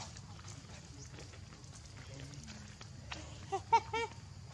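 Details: Hungry baby macaque named Leo cries for milk from its mother, giving a few short, loud, harmonic squeals near the end after quieter stretches of low background noise and soft human voices.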